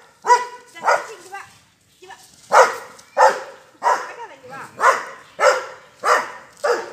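A Doberman barks loudly in a steady series of deep, harsh woofs, working to control a cow.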